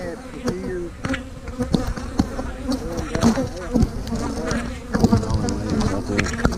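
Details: Swarming honey bees hum steadily while hives are split and queen cells are placed in splits, March 2020; individual bees arc past with brief pitch bends over a continuous low drone, interrupted by sharp taps from hive equipment.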